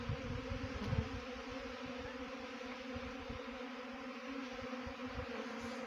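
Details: Honey bee swarm during swarm trapping: a dense, steady buzzing hum with layered droning tones. Soft low thumps and rumble run underneath, like wind or handling noise.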